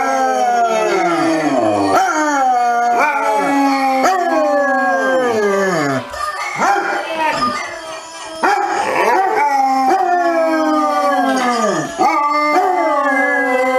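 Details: Basset hound howling, a funny home compilation: long wavering howls with sliding pitch, several overlapping, each breaking off and restarting every second or two, with music and cheering behind.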